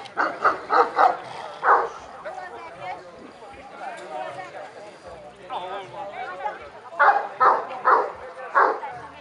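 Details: Kuvasz barking at a 2017 breed club show in Kishegyes: a quick run of five sharp barks opens, then voices and crowd chatter, then four more spaced barks near the end.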